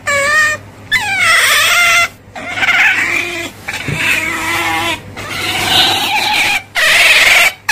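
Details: Otter squealing in wavering, harmonic cries, some bending downward and others held steady, separated by short pauses, over a faint low hum.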